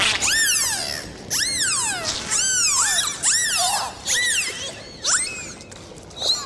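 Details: Dolphins underwater calling in a dense run of loud whistles, each sweeping up then curving down, several overlapping and repeated roughly every second, with faint water hiss beneath.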